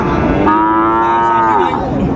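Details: A sustained, steady moo from a Sahiwal breed bull calf, held nearly two seconds, at Ambari livestock haat on 17 January 2025, with market voices murmuring behind.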